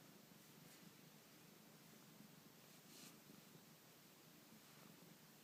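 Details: Black-and-white pet cat in a very good mood just after waking, purring softly indoors: a faint, steady, low pulsing rumble that runs throughout, with light rustling on top.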